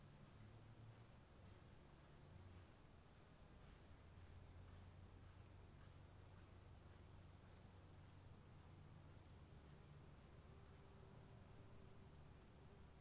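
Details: Crickets in the rain keep up a continuous, even, shrill trill on two high pitches without pause, while steady rain patters and a low background drone fills the lower range.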